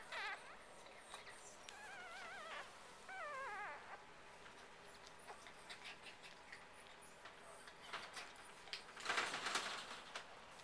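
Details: An all-female litter of Biewer Yorkshire Terrier puppies gives thin, wavering whimpers and squeals, with rustling handling noise near the end.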